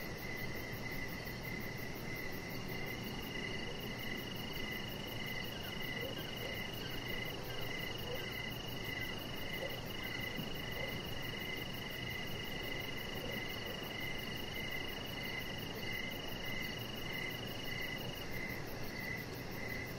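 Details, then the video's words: Crickets chirp in the evening around a deck lit with decoration lights, a chihuahua puppy resting there; rhythmic chirps roughly twice per second layered on an unbroken shrill trill, faint low background noise. "Cricket Sounds"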